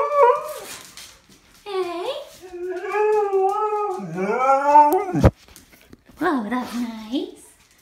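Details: Husky vocalizing in a series of expressive, talking-like howls that bend up and down, one long wavering phrase swelling and breaking off abruptly, then a shorter rising-falling call; indoors, with a person speaking.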